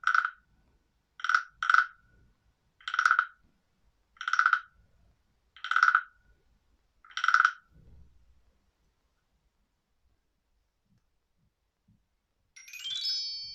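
A frog gives short, knocking notes, repeated roughly every second and a half.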